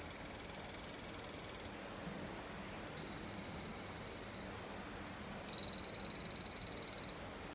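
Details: Poison dart frogs (Dendrobates) at the Aquatis aquarium give high, rapid buzzing trills in bursts about a second and a half long.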